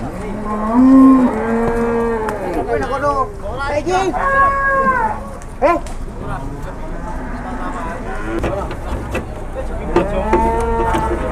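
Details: Cattle at a busy morning livestock market in Muntilan, Indonesia, as a cattle truck arrives; several long, harmonic-rich moos, some wavering and overlapping, over crowd chatter and market bustle.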